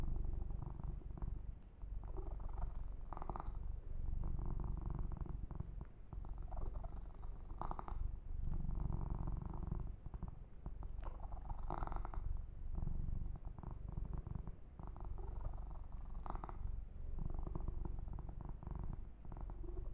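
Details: Male kitten purring during a massage with fur grooming, indoors; deep, even rumbling purr fills the whole stretch, broken by short rustling handling noises every few seconds.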